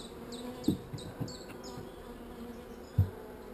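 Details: Calm honey bees at a hive with one swarm cell keep up a low droning hum, broken by a few dull knocks and handling thumps, with high ticking clicks in the first second and a half.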